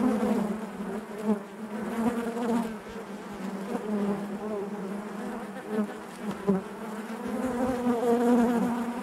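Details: Inside a hive, honey bees make a rich, unbroken buzzing drone, full and resonant with layered overtones, rising and falling gently in loudness with a few brief nearer buzzes.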